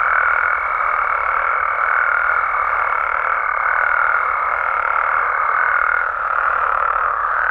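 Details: Nighttime chorus of frogs and toads in Mexico, a thick continuous mid-pitched drone of overlapping calls. A high steady tone runs above it for six seconds, then stops as the chorus briefly swells.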